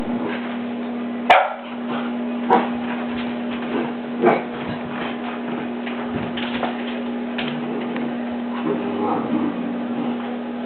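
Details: A male Cavalier King Charles Spaniel puppy gives sharp, high yips and barks while arguing with his own reflection on a door, with a person talking nearby.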